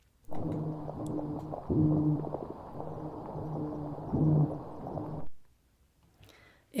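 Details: A toadfish recorded underwater off Georgia, in the Gray's Reef National Marine Sanctuary, gives low, droning hums with strong harmonics, swelling into louder grunting pulses, likened to a whale drum circle.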